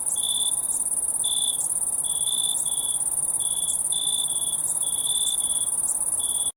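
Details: Crickets calling at night, a constant shrill high-pitched buzz underlaid by frequent short, lower chirped pulses repeated irregularly, some in quick pairs.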